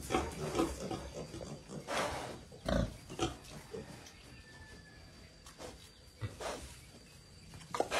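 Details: Striped brown wild boar piglets trotting about and feeding with their mother in a garden, raised semi-wild. Throaty grunts and snuffles repeat irregularly among rustling and trampling noises, with several louder broadband bursts.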